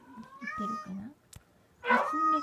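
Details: Munchkin kitten, 18 days old, giving two strong tonal meows, the first a long, steady cry and the second louder and rougher, with soft low murmuring underneath.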